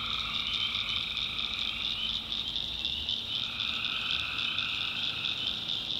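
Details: Swamp at night in the North Carolina backwoods, alive with tree frogs: a constant high rasping trill in stacked bands, the mid-pitched layer dropping away partway through and coming back, with a faint low steady tone.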